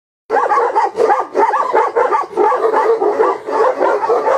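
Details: Tibetan Mastiff barking in a steady run of rough, harmonic barks. The barks come about every half second for four seconds with little pause between them.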